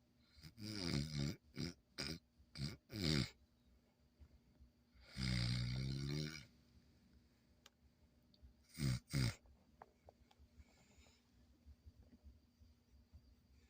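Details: Schnoodle puppy snoring while asleep indoors: several rough, low breathy snores in bursts, a run of short snorts early on, then a longer drawn snore near the middle and two quick snorts later, with quiet pauses between.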